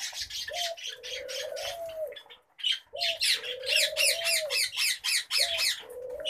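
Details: Harsh, rapid chattering from pet common babblers, delivered in fast grating notes that pause briefly midway, with a low, steady, slightly bending hoot repeated three times underneath.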